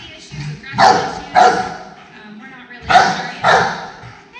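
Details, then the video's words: Aggressive Rottweiler Ali barks: two pairs of loud, rough barks about half a second apart, the pairs separated by a brief quiet gap, with a human voice faintly underneath. "Rottweiler "Ali" | Aggression Case"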